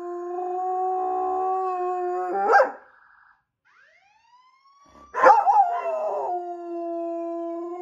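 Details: A police K9 German Shepherd howls in long, steady, mournful tones, 'singing' along with a wailing police or fire siren, as he always does when he hears one.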